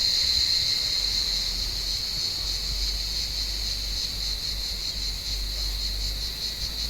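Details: Cicadas calling from an olive tree on a warm evening while cats climb the branches hunting them; a steady, high, shimmering buzz with a fast pulsing texture holds throughout, over faint low background rumble.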